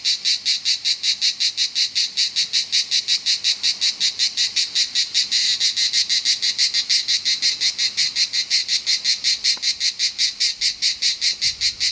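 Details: In Southern France, cicadas give a loud, shrill, pulsing buzz, beats coming rapidly and regularly around three per second, briefly blurring into steadier noise midway.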